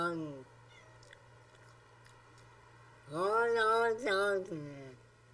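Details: A pet cat known for 'saying' Oh Long Johnson: the tail of one yowl fades at the start, then after a long hush a loud, rising, warbling wail with a brief break, over a constant low electrical hum.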